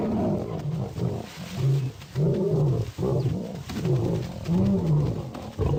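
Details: Wild lions amid combat, giving low, throaty growling roars in uneven pulses, each surge lasting about a second with short gaps between, the voice heavy and deep throughout.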